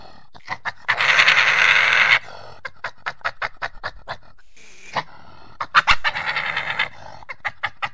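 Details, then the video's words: A badger makes a fast clicking chatter of short pulses, interrupted by loud, harsh, rasping squeal bursts near the start and again later. "What does a Badger sound like?"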